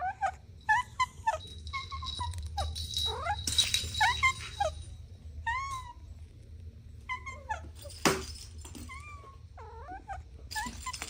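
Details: Kittens playing on grass give a rapid run of short, high mews, each arched and rising then falling, overlapping in quick bursts, with a brief rustling crackle near the middle and low steady background hum.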